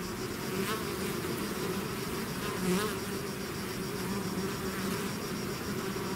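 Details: Bee swarm out of its hive, a dense steady buzzing hum with strong low bands around the wingbeat pitch and faint higher whining, level and continuous without pause.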